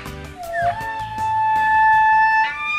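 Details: Altai wapiti (maral) (Cervus canadensis sibiricus) stag bugles in the morning in Soloneshensky district, a clear whistle sliding upward then holding steady over soft music, announcing himself and challenging a rival stag.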